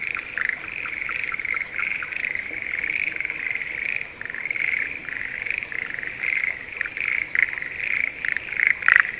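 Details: Schlegel's green tree frogs in breeding season calling from a spring rice paddy near Sendai, Japan; a softer, more distant chorus of many rattling pulses, with a few sharper nearer bursts toward the end.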